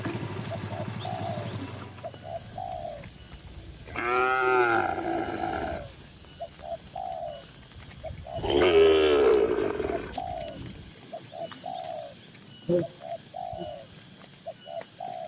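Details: Tame cattle, dozens together in a farm shed, give two long, drawn-out harmonic moos a few seconds apart. Soft, repeated cooing of doves runs underneath throughout.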